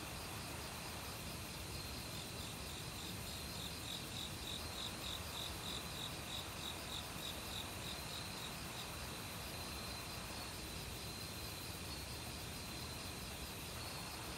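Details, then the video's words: Forest crickets in autumn, singing among assorted insects: a bright pulsed trill of rapid chirps stands out midway above layered steady insect hum, with flowing valley-stream water constant underneath. "가을 귀뚜라미 소리"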